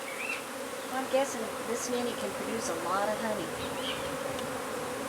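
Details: Honey bees of a hive under a wood pile in McAllen, Texas, during removal and relocation; a constant droning buzz of many bees continues beneath some brief voice-like sounds and light scraping.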